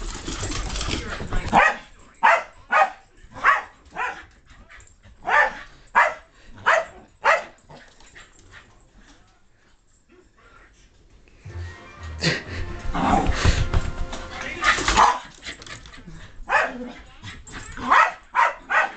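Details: Indoor playtime between Loki the Keeshond and Spike the Mutt; rapid repeated barks for several seconds, a quiet pause, then rough noisy growls and more barking.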